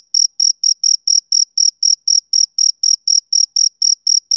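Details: A male cricket chirps in a brisk, regular beat, sharp piercing pulses following one another about four times per second, alone with no other sound.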